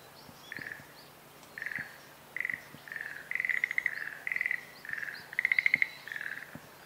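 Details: Schlegel's green tree frog calling in spring, 10 April 2021, Showa Kinen Park, stereo recording: series of short rattling pulse trains near the same pitch, repeated roughly every half second to second, with faint bird chirps above.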